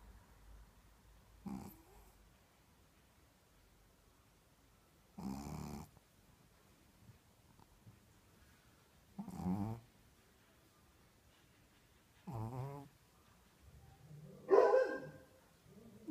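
A Shih Tzu snores in slow, rasping breaths spaced a few seconds apart.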